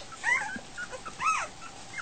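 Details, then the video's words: Week-old Goldendoodle puppies wandering at feeding time, two brief arched squeals a second apart and faint softer whines between them. "Goldendoodle puppies - dinner time"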